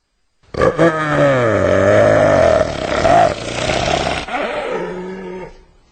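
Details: Hyena giving one drawn-out, harmonic, moaning call that dips, then rises and falls over about four seconds, then fades into a shorter, lower, steady tone at the end; no other sounds intrude.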